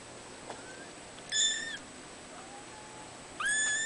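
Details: Kittens in a cattery, born 03/12/2011, give two short, high, thin mews about two seconds apart, the first level and wavering, the second rising sharply at its start, over a faint steady room hum.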